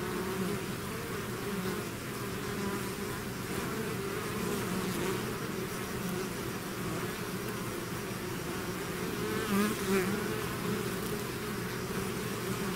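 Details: Continuous buzzing from a bee swarm leaving the hive, a thick even drone of many wingbeats with a slight swell near ten seconds.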